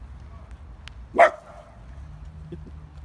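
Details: A dog from a Dachshund versus Great Dane encounter gives one short, sharp bark about a second in, then quiet low hum and a few faint clicks follow.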